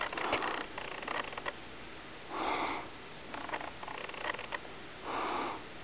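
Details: Kitten sniffing: soft, breathy noisy bursts about half a second long, spaced a few seconds apart, with faint rustling between them in a quiet indoor setting.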